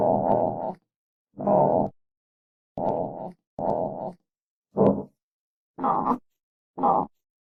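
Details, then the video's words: Armadillo grunts: seven short, rough, moaning bursts in a loose series, some longer and droning, others clipped and sharp, spaced roughly a second apart with silent gaps. "Real Armadillo Sounds"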